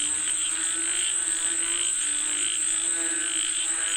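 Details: Chorus of frogs said to be calling for rain: continuous overlapping pulsed croaking with soft rhythmic swells, backed by a constant shrill insect drone.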